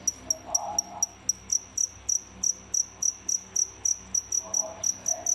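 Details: Pair of feeder crickets kept indoors, chirping in a steady series of piercing, high-pitched chirps, about three per second, with faint low background sounds.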